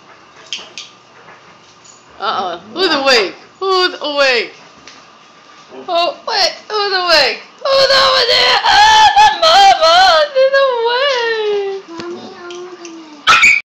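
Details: Siberian Huskies Free Four and Vera at play with a puppy indoors: loud, yodelling husky vocalisations that swoop up and down, in runs of rising and falling wails and a long descending moan, with quiet gaps between bursts.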